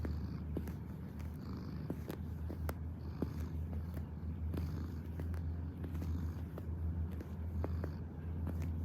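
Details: Domestic cat purring while kneading: a steady, deep rumbling purr runs throughout, with soft scattered clicks and small rustles on top in a quiet room.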